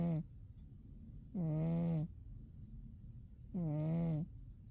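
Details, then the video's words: Winter nap of Umi the cat: the tail of one snore, then two full low rasping snores about two seconds apart, each a droning hum lasting under a second. "Umi the cat winter zonks and snores"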